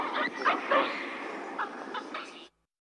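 A hamadryas baboon calls in quick, uneven bursts of sharp barks and yelps, some rising into a brief tonal whine. The calls come several times a second, then stop abruptly.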